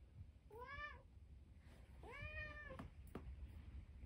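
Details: Indoors, Harpo, a 13-year-old domestic cat who survived cancer, brings his toy sea monster with two drawn-out, arching meows about a second and a half apart over low rumbling background noise and a couple of faint clicks.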